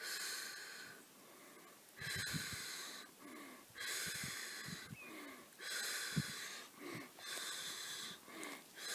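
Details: A black wallaroo some 150 metres away, recorded by iPad from a campsite; repeated harsh, breathy wheezes about every two seconds, with soft low thumps and rustles underneath.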